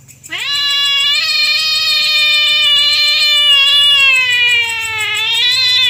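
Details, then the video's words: Night-time territorial fight between domestic cats, heard as one long, loud, sustained yowl that rises sharply at the start and holds a steady, slightly wavering pitch for several seconds over a low background hum. "Kucing Gelut Rebutan Wilayah - SUARA KUCING GELUT"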